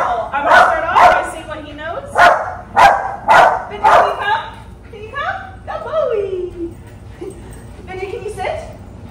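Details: Pomeranian Chihuahua mix called Benjamin barking repeatedly during training, a run of sharp yaps about twice a second, then fading into softer whining and falling whimpers.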